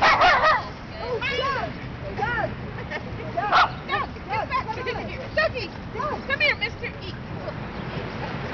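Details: Dogs at play in a dog run in midtown Manhattan, New York City, giving a rapid series of high, arching yips and short barks that rise and fall in pitch, with voices murmuring in the background.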